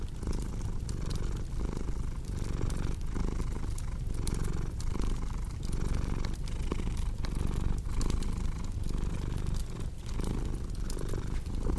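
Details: Domestic cat purring, a low continuous rumble that swells and fades in a steady breathing rhythm, with crackling fireplace pops and snaps over it.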